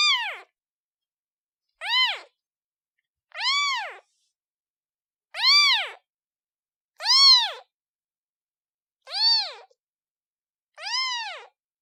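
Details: Seven shrill, arched meows from a newborn kitten calling its mother, each about half a second long and evenly spaced by short silences, with strong overtones.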